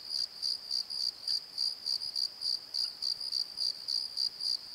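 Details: Crickets calling at night in a valley bottom, recorded with a Nikon D7100: a steady high chirp pulsing about three to four times per second, with a fainter upper tone above it.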